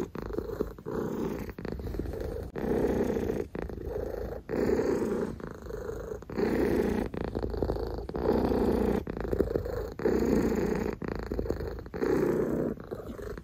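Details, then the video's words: Oreo the cat purrs steadily, low vibrating rumbles cycling with each inhale and exhale roughly every second, with occasional faint clicks. "Sounds of Oreo"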